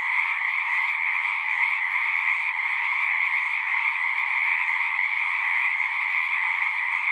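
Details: Continuous frog chorus from a pond in a horse pasture, captured with a Zoom 6. Many overlapping trills merge into a constant, even hum of high and mid pitches, unbroken throughout, with nothing else standing out.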